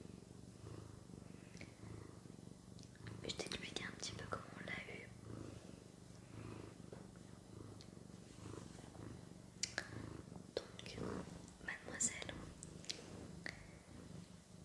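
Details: Pet cat named Sakura purring indoors in a small room: a low, steady pulsing rumble runs through the whole stretch, with soft French whispering and close rustling on top.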